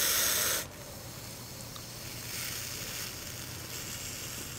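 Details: Hognose snake hissing defensively before rolling over to play dead: a short, loud, breathy burst of broadband hiss lasting about half a second, then quiet background noise.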